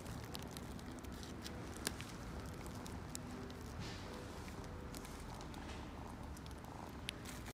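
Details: Female Siberian cat, born 24 March 2020, brown patched tabby and white, at a pet shop, purring: a continuous low rumbling purr throughout, with scattered clicks and rustling handling noises.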